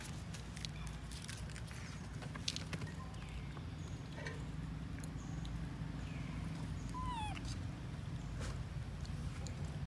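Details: Lori, a baby monkey left alone by her mother Amari, gives a short, thin, whistled cry that slides downward near the end, with softer squeaks before it and a constant low rumble underneath.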